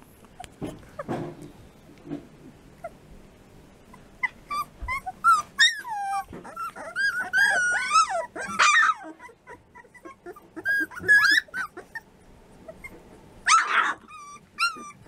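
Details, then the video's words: Litter of three-week-old American Bulldog puppies whining and squealing in scattered bursts, wavering high cries overlapping at times, with quieter gaps and soft rustling between. "Puppies American Bulldog"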